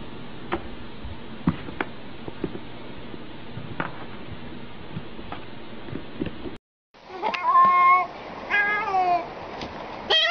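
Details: A domestic cat in a compilation of funny cat antics. Quiet background with scattered clicks and knocks comes first. After a brief break, loud, wavering meows with rich harmonics follow, some falling in pitch, in close succession.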